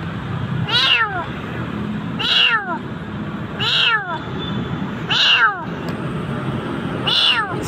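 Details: Jakarta street kitten, nearly dead in the dark, repeats five plaintive high meows roughly every one and a half seconds, each bending down in pitch, over constant low background rumble.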